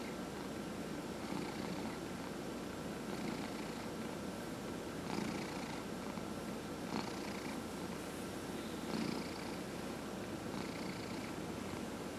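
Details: Indoor domestic cat purring as it is massaged, one of four household cats: a deep steady rumble rising and falling in regular breath cycles about every two seconds, each with a light airy hiss.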